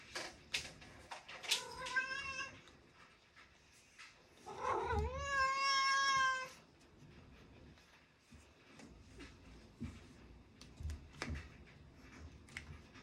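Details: Domestic cat crying indoors during a quiet study session, two long harmonic meows, the first wavering, the second swelling and held for about two seconds, with soft taps and clicks of a small room between them.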